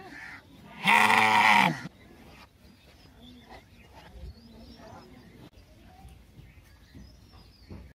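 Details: One of three sheep in a village gives one loud, wavering bleat lasting about a second, then quiet background.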